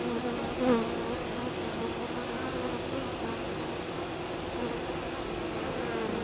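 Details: Hum of honey bees at the landing board of a hive whose colony is in swarming fever, while a bee performs a waggle dance; continuous low buzzing with a short louder swell early on.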